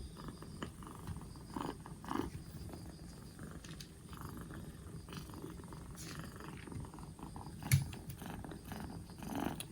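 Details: Rescued two-month-old black Bombay kitten on its fourth day in care, over a cold and growing livelier, gives a deep, even purr that throbs without pause, broken only by light rustles and one sharp tap.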